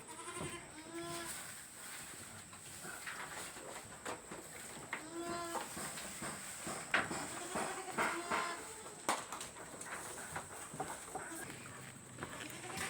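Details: Farm goats tended by female workers give wavering, harmonic-rich bleats: a pair of calls early on and another pair mid-clip, set against steady rustling and scattered clicks, with faint voices in the background.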